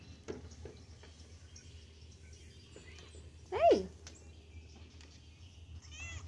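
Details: Female house cat answering its owner with a single brief meow, high at first then quickly dropping in pitch, amid scattered soft clicks and a low background hum, with a faint high wavering sound near the end.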